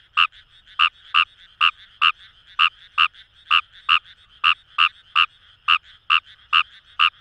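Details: Rice frogs (Fejervarya kawamurai) in Itoshima's Kamo River paddy fields, Fukuoka: crisp, short croaking pulses repeated roughly every third to half second in a slightly irregular rhythm, with a low continuous chorus behind.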